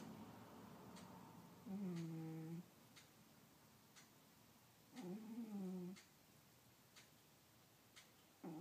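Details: Cat asleep and snoring in a quiet room, giving three deep, droning, slightly wavering breath sounds spaced about three seconds apart.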